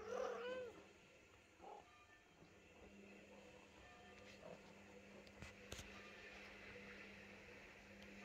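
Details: Mother cat with her kitten indoors, the mother biting the kitten: one short wavering meow at the start, then a quiet room with a steady low hum and a few faint clicks and rustles.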